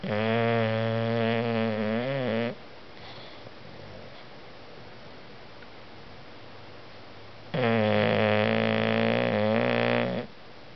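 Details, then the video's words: Napping dog Dozer snoring: two long, loud, rattling snores about five seconds apart, each lasting over two seconds with a low buzzy drone, and quiet breathing between them. "dozer snore"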